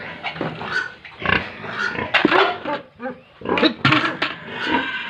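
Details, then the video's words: Farm pigs and piglets in Tripura giving rough grunts and a few higher squealing bursts, loud and clustered with brief pauses between. "Tripura Pig Farm | animals Pigs & Piglets sounds"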